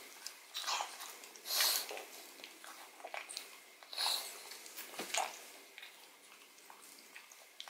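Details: Odin, a pet pug, eats bone marrow from a bone: crisp tooth-on-bone clicks and scraping bites come in clusters, two louder crunches stand out, and soft snuffly breathing fills the pauses.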